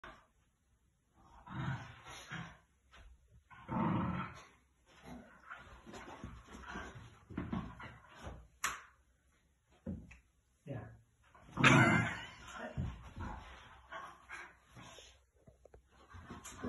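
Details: A male Miniature Schnauzer puppy grumbles and yaps in short, growly bursts, demanding attention from his owner, who is working from home on a Zoom call.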